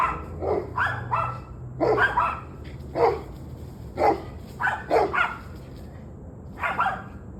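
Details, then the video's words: Repeated dog barking, evening of 21 November 2023 at 7:06 pm: about one bark per second, harsh and rhythmic, some in quick doubles, then a short pause before a final pair, over low background hum. "Barking Dogs"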